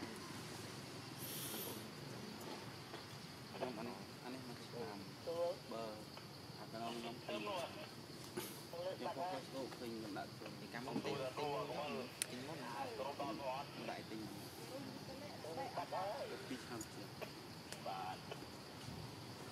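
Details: Hungry baby monkey named Janet screaming while her mother, Jane, feeds her milk; repeated wavering, arched harmonic cries one after another, almost without pause, over a steady background hiss.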